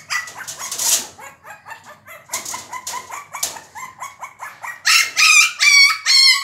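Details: Shih Tzu puppy named Sandy, fighting with a door to get it open, gives high-pitched rapid yapping barks with bright harmonics, in quick bursts that grow louder and more ringing toward the end.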